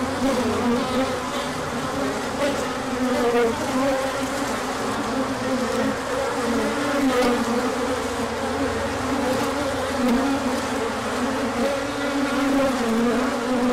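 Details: Large orientation flight of honeybees on 24 March 2024, the bees coming out with the sun after colder weather; a thick unbroken droning hum with shifting pitch bands as bees circle close and away.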